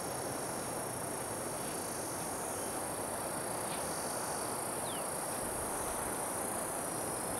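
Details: Cicadas recorded on 26 June 2013, among them an unidentified species with a circular-saw-like sound. A continuous, high, steady buzzing drone with thin tonal bands above it runs through the whole stretch, with no pauses or rhythm.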